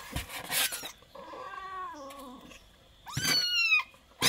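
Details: Twenty-day-old kitten meowing indoors: a drawn-out meow with wavering, gently falling pitch, then a brighter, louder meow that rises and dips, with rustling and handling noise between the calls.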